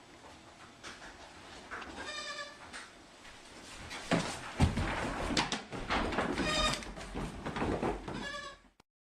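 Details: Goat kids playing and chasing on a farm: several short, harmonic, wavering bleats scattered through the clip amid rustling, thumps and scuffling.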